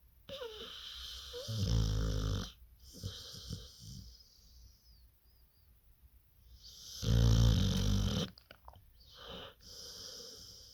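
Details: Staffordshire Terrier sleeping sweetly and snoring: two long, rough, rasping snores, the first at about two seconds and the second near seven seconds, each lasting about a second, with softer wheezy breaths and quiet stretches between.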